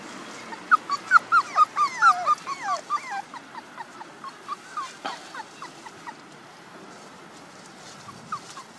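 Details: One-month-old puppies whimpering and yipping, a rapid run of high, looping whines near the start that grow shorter and sparser, with a single sharp sound midway and a few faint whines at the end.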